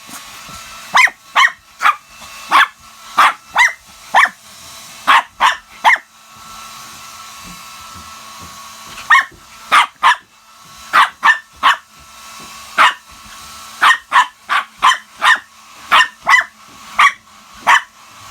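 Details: Shih Tzu dog barking while fighting a hair dryer: sharp repeated barks in bursts of three to five, pausing briefly between volleys, over a steady low hum from the running dryer.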